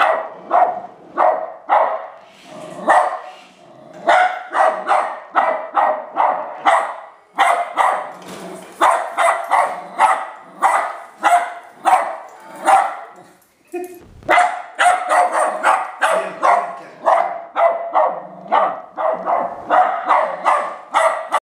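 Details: Westie dog barking excitedly at an R2 robot, a rapid run of sharp repeated barks several per second, briefly pausing near the middle before resuming just as fast.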